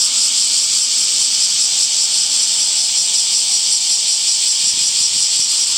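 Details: Cicadas in summer, a dense continuous buzzing drone with bright high bands, steady throughout with a faint fast pulsing texture.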